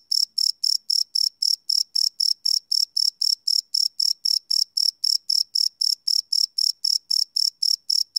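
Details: Night crickets captured live with a Sony PCM D100 field recorder, giving a fast train of bright, high-pitched chirps, close to four per second, evenly spaced against a silent background.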